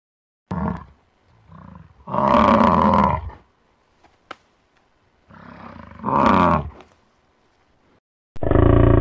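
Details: American bison (Bison bison), bellow.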